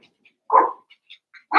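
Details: Cavalier King Charles Spaniel puppy, one of eight from two merged litters playing indoors. A single short sharp yip-bark, then faint squeaks and the start of another bark at the end.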